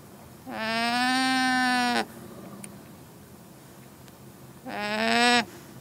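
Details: Llama. A llama calls twice with a sustained, nasal tone that holds an even pitch with a slight rise and fall. The first call lasts about a second and a half; the second, after a quiet pause, is briefer.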